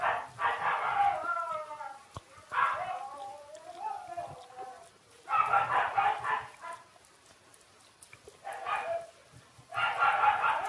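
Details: Shiba Inu puppies Ôkami and Ikkyu, six days old, squeal loudly in harmonic-rich cries, some sliding downward in wavering whines, coming in bursts of one to two seconds with short pauses between.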